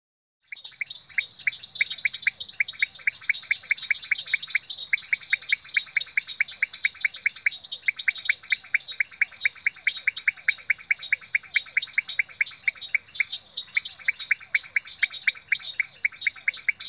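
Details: Leptodactylus podicipinus frog recorded at Rio Claro Farm: a long, steady train of short, sharp chirping notes repeated several times per second without pause, each note bright and clicky, with faint fainter echoes of similar notes beneath.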